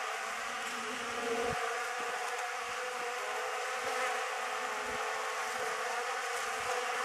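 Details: Honey bees working a homemade pollen substitute give a softer, hissy drone, a steady hum with scattered clicks and bumps underneath.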